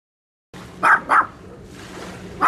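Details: Dog barking, filmed handheld on a Sony FDR-AXP55 camcorder: two sharp, mid-pitched barks close together near the start, then a fresh bark cut off at the end, with a low steady hum between.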